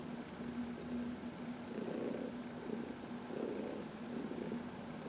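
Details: Heidi, a senior domestic cat adopted from the Humane Society of New York City, purrs softly while massaged in the sun on March 19, 2021; a low steady hum swells into two louder rumbling surges.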